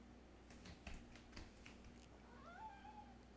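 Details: Harry, a pet cat, is talkative while lounging on a very warm sunny day. After soft tapping and rustling, a single drawn-out meow rises, then falls and fades. The room is quiet.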